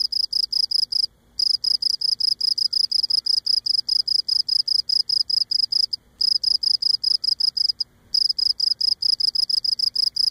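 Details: Cricket on Cape Cod filmed singing close up, legs scraping its abdomen; a fast, regular train of shrill high chirps continues through, interrupted by three brief silences.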